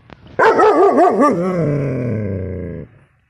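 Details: A 6-month-old male German Shepherd puppy, showing protective instincts, gives a loud, deep, drawn-out yowling bark that wavers up and down, then settles and fades.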